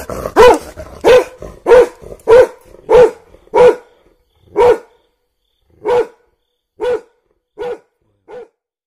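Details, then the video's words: Dog angry at a cheetah gives about eleven loud, single, tonal barks, evenly spaced at first, then with widening gaps and fading volume. "when my dog got angry on cheetah"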